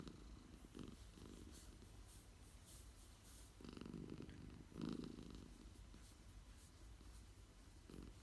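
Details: Napping cat purring at midday, a soft low rumble that swells in pulses with each breath, the strongest surges around the middle and near the end, in a quiet setting.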